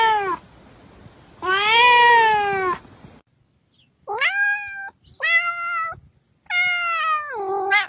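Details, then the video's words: Meowing cat used as a sound to attract cats: a short tail of one call, then a loud, strained, wavering meow, silence, and three shorter meows rising then falling, the last one bending downward. "Sounds that attract cats - Meow to make cats come to you"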